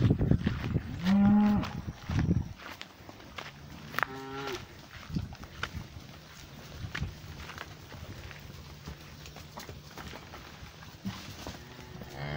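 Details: Cows mooing in a pasture, one black cow nearby; two loud low moos with rich harmonics near the start and middle, then quieter rustling and soft footsteps, a last moo rising at the end.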